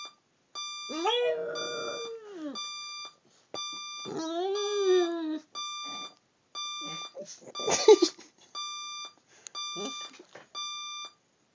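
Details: Dog howling in response to a ringing alarm clock: long wavering howls that rise, hold and fall, followed by shorter broken yelps and whimpers, all over steady electronic beeping repeating roughly once a second.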